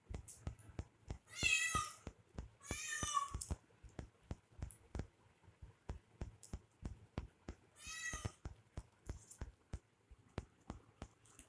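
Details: Kitten playing with a person indoors gives three drawn-out, high, harmonic-rich meows, two close together early on and one more later, over a steady run of sharp clicking and tapping sounds throughout.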